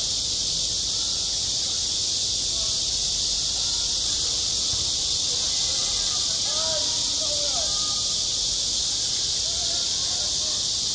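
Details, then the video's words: Cicadas crying across a school playground in high summer: a thick, sustained high whirring hiss throughout, with faint children's or people's voices and brief chirpy sounds in the background. "한 여름 운동장에서 매미가 울고 있다"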